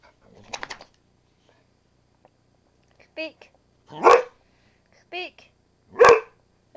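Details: Pet dog Missy barking lots, wanting attention: two loud, harsh barks about two seconds apart, with shorter yelping, whiny vocal bursts between them and a woman's voice talking to her.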